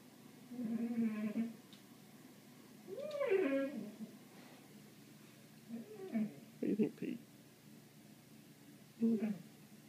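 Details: Ralph, a pet cat watching birds indoors, gives a drawn-out meow that rises then falls in pitch, with shorter chirpy calls afterwards, while a human voice talks quietly in a small room.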